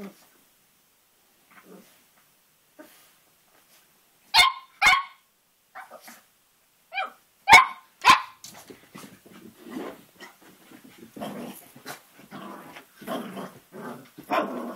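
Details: Cavalier King Charles Spaniel puppy, about three and a half months old, playing with his mirror reflection: after near silence, sharp high puppy barks, then a run of quick rasping growls and yips.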